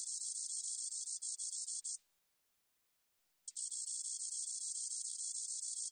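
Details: High, sizzling insect buzz from a spotted meadow katydid: one steady hissing burst ends, about a second and a half of silence follows, then another sustained burst resumes in a clean recording.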